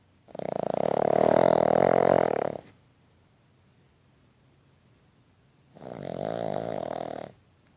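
A sleeping Boston Terrier puppy snores in long, raspy, rattling breaths with a quiet pause between them.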